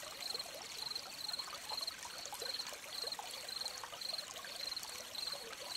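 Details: Gentle cricket chirps next to a stream, crisp high pulses repeating nearly twice a second in a steady rhythm, partly veiled by the continuous splashing rush of water.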